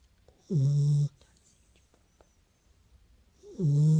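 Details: Beagle asleep, giving two low, buzzy snores about three seconds apart, each a short rasping breath with a breathy hiss on top, and near silence in between.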